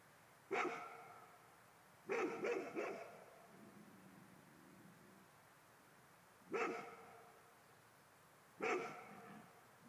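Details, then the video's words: Golden Retriever barks at what it takes for a ghost: a lone bark, a quick cluster of three, then two more single barks after long pauses, with faint low rumbling between. "Mh Golden Retriver hane Spöken"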